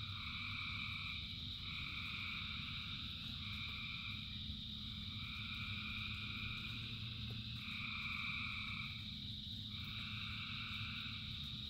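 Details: Dense chorus of thousands of frogs singing in rain: layered steady trilling bands, some voices switching on and off every second or two, over a constant low rumble of rainfall.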